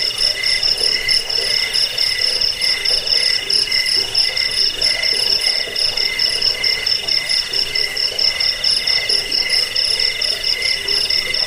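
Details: High cricket trills, a recording used against rats and for teaching birds to sing: several overlapping callers pulse continuously on bright, steady tones, the chorus even and unbroken throughout.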